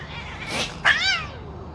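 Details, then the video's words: Domestic cat fighting, one cat attacking four others; a breathy hiss-like burst followed by a loud, wavering, rising-then-falling yowl with strong harmonics, lasting about half a second. "one cat 🙀 attack on four cats 😱"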